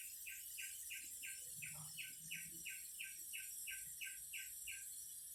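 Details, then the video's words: Singing cicadas: about fourteen evenly spaced, pulsed chirps repeat roughly three times a second over an unbroken, sizzling high-pitched drone. "Singing cicadas"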